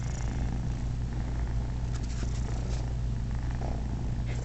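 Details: Happy purring from a male house cat lying in a laundry basket with two kittens nursing on him; an even, deep, vibrating purr throughout, with faint rustling.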